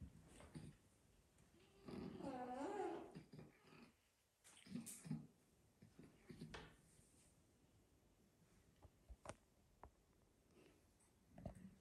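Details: Pet raccoon named Marcel, living indoors in a house with other exotic animals, in a playful mood; a wavering, harmonic, warbling call lasting about a second and a half, followed by soft shorter noises and scattered thumps in a small room.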